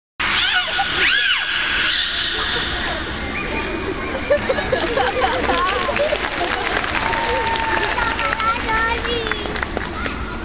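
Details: Captive beluga whales at the Minsk Dolphinarium trade shrill whistles, rising and falling squeals and crackling pulses that sound like crying babies.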